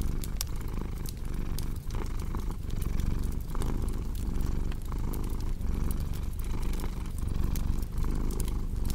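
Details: Cat purr paired with crackling fireplace sounds: an unbroken low rumble rising and falling in regular breath cycles, punctuated by frequent dry pops and snaps from burning wood.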